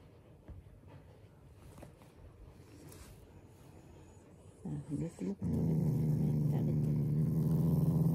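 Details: A Shiba Inu, a loving family dog, growls playfully and affectionately rather than in anger; after brief soft sounds and a few short grunts, a steady low rumbling growl sets in and holds to the end.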